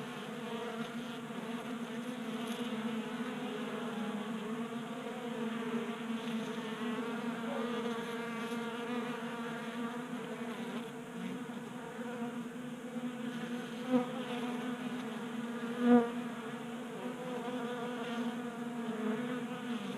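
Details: Honey bees feeding at a 3D printed tabletop feeder in a garage in Colorado during unseasonably warm January weather; a steady, dense droning hum from many wings, layered and continuous, with a couple of brief louder bumps.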